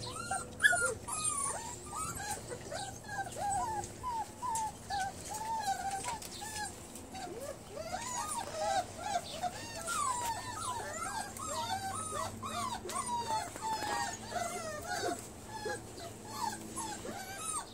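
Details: Several Bernese Mountain Dog x Great Pyrenees puppies feeding together with a kitten, a long chorus of short, high squeaks and wavering whines, many pups calling at once, over a low steady hum and faint rustling.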